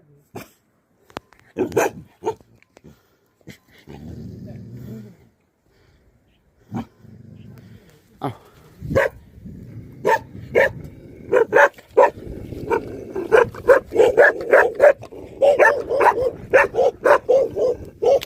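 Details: Livestock guardian dogs protecting a buffalo shed, barking in sharp, irregular bursts that grow denser and faster toward the end, with low growling rumbles between barks.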